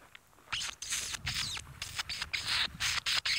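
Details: Dwarf mongooses in the African bush on a sunset drive, followed by hornbills, give rapid, high-pitched alarm chirps and chittering bursts, several a second and overlapping, with a little outdoor background hiss.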